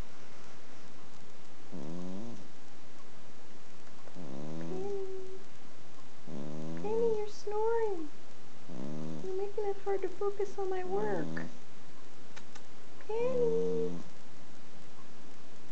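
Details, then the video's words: Penny, an Exotic Shorthair cat adopted at four years old, snores while asleep. Six raspy breaths with a whistling nasal tone come roughly every two seconds. The room is otherwise quiet. "Snoring Penny Pumpkins"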